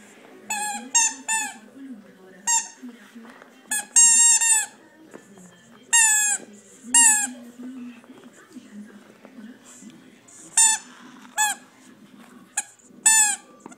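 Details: A 4-month-old Staffordshire Bull Terrier gives high, squeaky whines in short, slightly falling bursts while playing.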